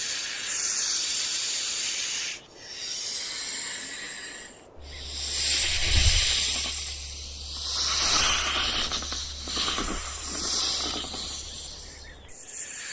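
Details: A rattlesnake's buzzing rattle rises and falls in bursts, its shrill hiss broken by brief pauses. A deep rumble runs through the middle section.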